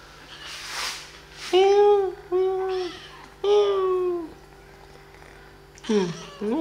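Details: Meows from kittens being played with and fed: four separate harmonic calls, each about half a second long and gently arching or falling, spaced over several seconds, with soft rustles and a constant low hum between them.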